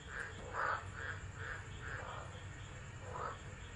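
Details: Tropical frogs calling during a Tropical Low storm at Driver, Northern Territory, Australia, 13 December 2013, recorded on a phone left unattended: a run of short, hoarse croaks, about six in under four seconds, over a steady low rumble of rain and wind.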